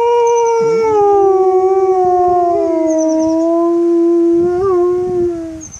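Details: Female dog holding one long, sustained howl that sinks slightly in pitch and wavers near the end, with faint high chirping behind it.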